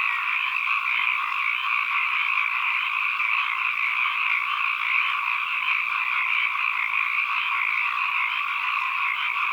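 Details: Frogs calling as an ambient sound recording: a dense, unbroken chorus with a steady massed trilling hum in two bright bands, mid and high pitched. Level stays constant throughout, no single caller stands out, and there are no other sounds.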